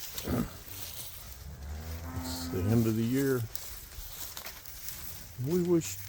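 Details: Cows on a winter pasture lowing: a brief deep moo near the start, then a long wavering moo that swells and falls, and a shorter rising-then-falling moo at the end, over a light background hiss.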